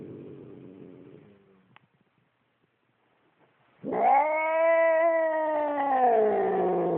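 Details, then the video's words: Upset domestic cat growling at its owner: after a low rumbling start and a pause, a long drawn-out moaning growl with strong steady harmonics, slowly falling in pitch toward the end. "Evil Cat Growling"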